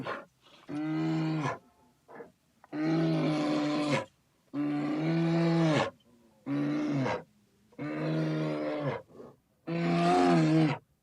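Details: Bear roaring repeatedly, six deep, tonal, drawn-out calls of about a second each at a steady pace of roughly one every two seconds, with soft grunts in between.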